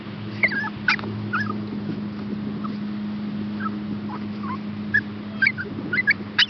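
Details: Chihuahua and Shepherd hound rescue pups awaiting adoption make scattered thin, high whimpers. Short pitch-bending squeaks come in small clusters, with quieter gaps between them, over a constant low electrical hum.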